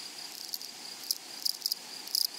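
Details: In a flowering meadow, grasshoppers make a few scattered sharp, high, rasping bursts against a soft hiss, with a quick cluster of chirps near the end.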